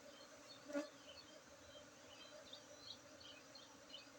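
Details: Honey bees at the Markaz lebah madu apiary, Tingkem village, Bener Meriah, Aceh, during a honey harvest on Saturday 19 August 2023: a steady, low droning hum with layered tones, one brief sharp knock near the start.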